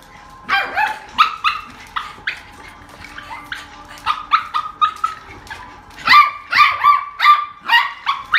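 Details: Beagle barking in a rapid series of sharp, bright barks with ringing howl-like tails, in two bursts with a short lull between them.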